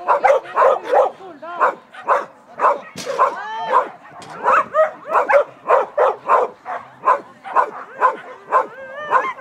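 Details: Large Schapendoes dog barking during an Agility 2 Large run in Fredrikstad, Norway, 20 August 2016, a clean run placing third: rapid, excited barks about twice a second, mixed with rising whiny yelps.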